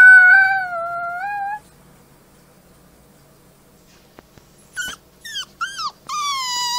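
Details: Gray wolf. A young wolf's thin, high howl holds steady and then dips slightly before breaking off. After a pause come short, squeaky yelps and a rising whine, typical of pups' voices.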